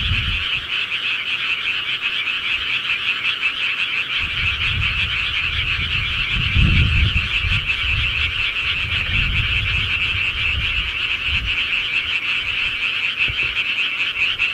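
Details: Countryside frogs in a continuous massed chorus of fast, pulsing croaks, joined midway by a low rumbling background noise that swells and fades.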